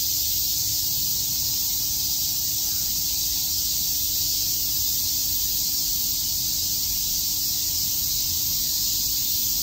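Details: Many cicadas chirping together in Tokyo's Shakujii Park on a summer day, heard as a continuous, even, sizzling high drone that never breaks, with a quiet low hum underneath.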